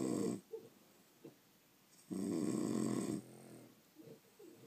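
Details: Sleeping French Bulldogs: a short snore at the start, then a long, rough, sustained snore of about a second, with small snuffling breaths around it.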